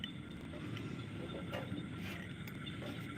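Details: Steady background hum and rumble like a passing vehicle, with no animal voice heard.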